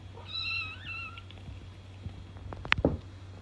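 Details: A domestic cat gives a drawn-out, slightly wavering meow lasting about a second, followed by quiet room hum and a couple of sharp clicks and knocks near the end.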